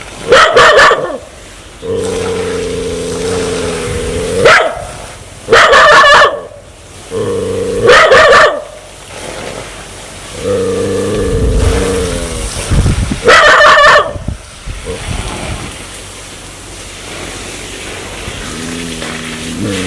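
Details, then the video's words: Dog in an aggressive mood, wanting to bite: alternating sustained buzzy growls and sudden clusters of sharp barks, irregular over twenty seconds, ending with a quieter drawn-out growl. "Sound Dog want to Bit"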